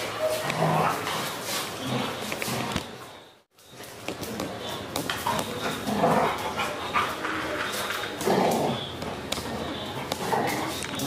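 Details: Golden retriever crossed with Belgian Malinois gives scattered short barks and yips amid steady human chatter, with a brief silent break just before four seconds.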